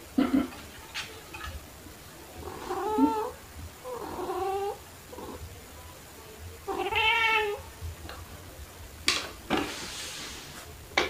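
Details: Pet cats, a black cat named Pepper and a torby named Kofi, meowing while playing with fluffy toys indoors; several drawn-out harmonic meows, some rising then falling, spaced a few seconds apart, with rustling and faint knocks between.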